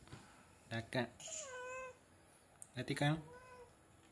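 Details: Domestic cat grooming itself indoors inside a cardboard box: a drawn-out meow sliding downward, then a shorter meow, mixed with short bursts of human speech and rustling.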